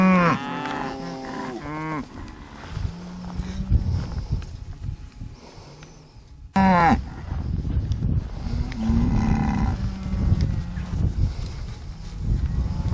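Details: Hereford cattle in a summer breeding pasture, 2015: a quick pair of deep moos opens, then steady rumbling wind-like noise, and a second lowing call begins abruptly midway before fading into background noise.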